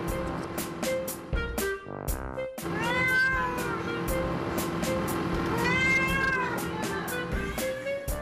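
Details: Two 6-week-old twin kittens on a cafe roof give rising-and-falling meows over steady background music; their mother cat hears the calls from below and goes up to them.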